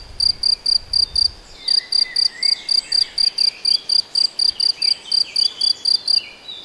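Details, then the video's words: Cricket or grasshopper recorded in the Nagyerdő forest of Debrecen, Hungary: short, high, buzzy pulsed chirps about three per second, with a brief pause near the start, over faint whistled birdsong and a low rumble early on. "Tücsök vagy szöcske? - Hangfelvétel a debreceni Nagyerdőben"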